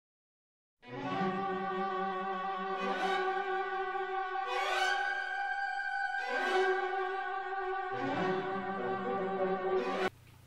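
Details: Bowed string music with violin and cello plays in sustained, swelling phrases, rising and falling every couple of seconds; no animal sounds are heard.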